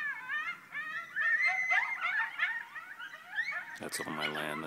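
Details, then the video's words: Coyote pack on rural land at night in November 2012, about 40 feet from a house, hunting chickens: overlapping wavering yips and quavering howls tumble together, then a harsh, buzzy noise cuts in near the end. "coyotes howling in November 2012"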